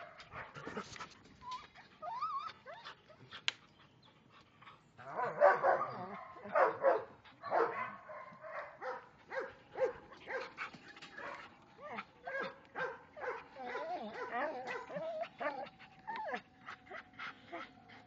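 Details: Belgian Malinois dog making short barks and high, wavering whines, with a burst of louder, rough barking near the middle and rising-and-falling whimpers continuing to the end.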